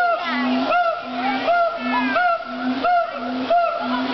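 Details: Siamang gibbons at a zoo howl in a steady rhythm of low booms and rising, whooping notes.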